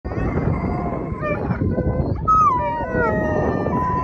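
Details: Two Alaskan Malamutes and a Labrador Retriever howl together in excitement while waiting their turn to run as a sled team at land training in Long Sault, Ontario, their wavering voices sliding up and down over each other.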